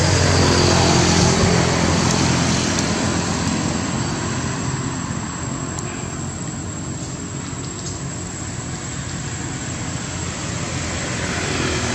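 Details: A loud, steady engine-like drone with broadband noise fills the whole stretch, and no animal calls stand out.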